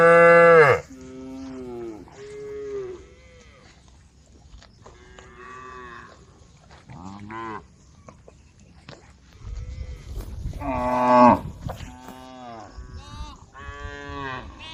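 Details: A herd of cows at the edge of a forest road low repeatedly, each moo a drawn-out, harmonic call swelling and fading over a second or two, some short and clipped, others longer and wavering, with low rumbles between.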